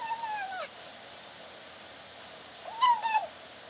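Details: Kitten in a cage meowing mid-meal, kept apart from a dog: a short falling mew, a pause of about two seconds, then a louder wavering mew broken into two parts.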